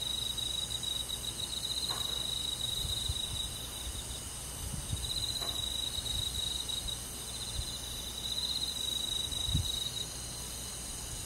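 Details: Rural summer-night forest crickets: a bright, high trill repeating in short pulsed runs, backed by a steady hissing insect chorus and a few faint low knocks.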